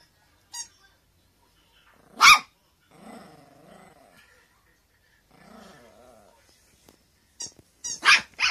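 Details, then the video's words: Teacup Poodle begging for a toy to be thrown: two sharp, high barks, one near the start and a cluster of quick barks at the end, with soft vocal murmuring in between. "Cute dog begging for toys"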